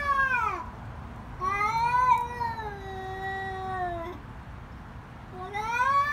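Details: Fighting cats scream in long, harmonic yowls, one falling cry, then a sustained wavering wail lasting over two seconds, and a new rising scream starting at the end.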